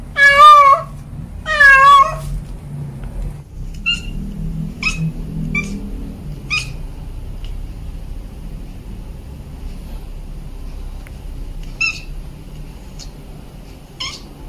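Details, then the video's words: Domestic cat, a female calling for a male, recorded at home: two loud wavering meows in the first two seconds, then scattered short faint chirping calls through the rest amid low background hum. "Suara Kucing Memanggil"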